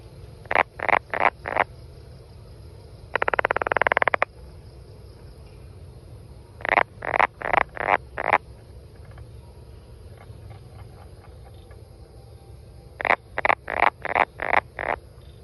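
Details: Brown banana frog calling: bursts of four to six short, evenly spaced clicking notes, repeated in groups, with one dense rattling buzz near the start; faint steady background hum.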